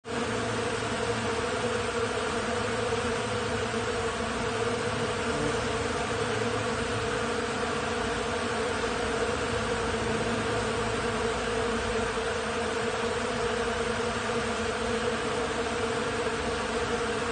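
A steady, dense hum of many bees buzzing together, low and unbroken throughout.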